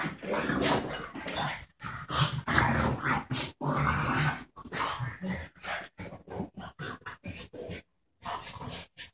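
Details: Border terrier aged 12 months and a French bulldog around four years old at play; dense, throaty growling and grumbling in rapid irregular bursts, broken by brief silences toward the end.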